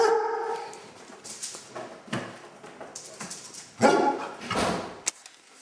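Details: A Basset Hound being given a bath gives a brief, tonal whine, followed by splashing water and scattered thumps.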